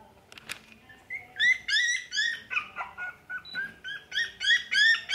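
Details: Jack Russell Terrier puppy in a Nara pet shop, crying in rapid, piercing, rising yelps repeated about three times a second, with a sharp tap early on.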